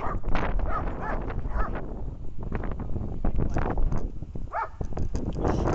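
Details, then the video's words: German Shepherd named Angie barking during protection training on 24 October 2018: a series of harsh, broadband barks in uneven bursts, some close together and others spaced apart, over a constant low rumble of background noise. "немецкая овчарка Энджи.тренинг по защите"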